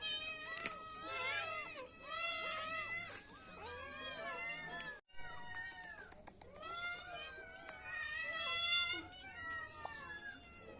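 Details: Several kittens meowing together in a dense overlapping chorus of short arched cries, repeated rapidly for about ten seconds, with a brief silent break midway.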